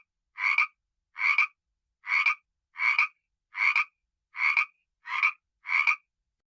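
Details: Eight short, rasping frog croaks in a steady series, one roughly every 0.7 to 0.8 seconds. Each croak has a slight double pulse, and the gaps between them are silent.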